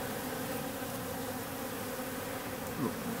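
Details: Wild bees swarming in an industrial wall in the industrial district around October 14, a mix of workers and drones about one to one; a dense, steady, continuous buzz of many insects with a man's voice faintly present.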